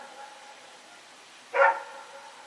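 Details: Rex, a dog running around at night, recorded on 21 September 2018, gives a single short sharp bark about a second and a half in, against a faint steady background hum.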